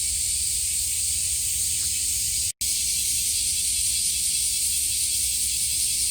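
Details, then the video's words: Cicadas at Kasai Rinkai Park, Tokyo, Japan, in summer: a steady, intense high buzzing wall of sound, broken by one brief silent dropout midway, with quiet low rumble beneath. "매미소리에 이끌려- / せみの声に引かれて-"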